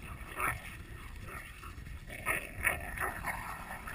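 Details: Terriers, a Jack Russell Terrier against a pit bull American Staffordshire terrier, in a tug of war game: rough rasping growls in short pulsing bursts, roughly two or three per second, louder near the middle and end.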